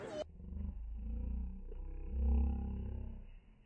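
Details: Angry Sumatran tiger at Vandalur zoo giving a deep, rumbling roar that swells for about three seconds, louder toward the middle, then fades. A brief sharp noise opens the recording.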